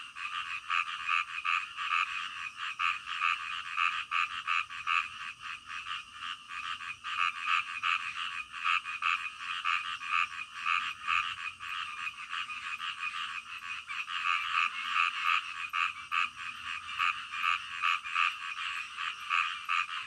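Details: Frogs calling in the middle of the night, a dense chorus of rapid croaks layered in bands, pulsing about two and a half times per second without pause, with a steady high insect-like hiss above.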